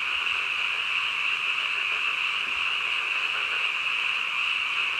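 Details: Frogs calling at midnight: a dense, unbroken chorus of many overlapping croaking voices forming a steady high-pitched wall of sound, level throughout with no pauses and no other clear sounds.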